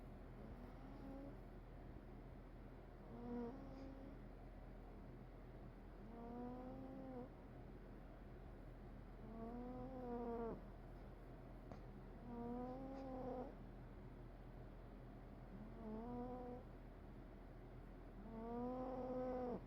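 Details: Sleeping domestic cat snoring: tonal, whining breaths with clear harmonics, each lasting about a second and bending slightly up then down, repeated roughly every three seconds over a low steady hum.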